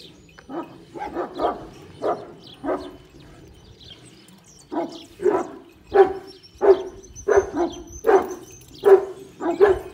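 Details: Kangal at a Turkish breeding farm barking in repeated deep, booming barks, first in an uneven cluster, then a steady series about every seven-tenths of a second in the second half, with faint outdoor background.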